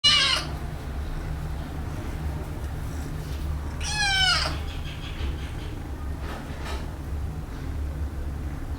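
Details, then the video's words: Kitten being washed for the first time gives two meows, a short high one at the start and a longer falling, harmonic-rich cry midway, over a steady low electrical hum. "Wash My Kitten First Time | Meowing kitten Sound effects"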